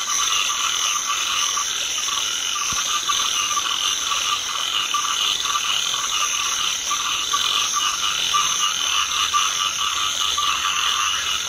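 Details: Rice field frogs croaking together in a rice paddy during light drizzle, a dense unbroken chorus of overlapping rasping calls that fills the whole stretch without pause.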